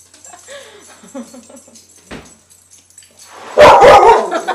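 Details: Dog reacting to a balloon and attacking it; soft indoor voices at first, then a short burst of loud, harsh barks near the end.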